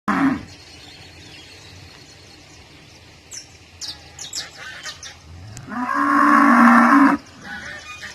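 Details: Cow mooing on a farm: a brief low moo at the start, then a loud, long, steady harmonic moo lasting over a second near the end, with faint clicks and scattered background noises between.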